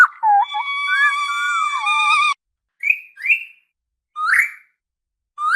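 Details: Killer whale sounds underwater: a sustained, wavering tonal call rich in overtones for over two seconds, then three short upswept squeaks separated by silence.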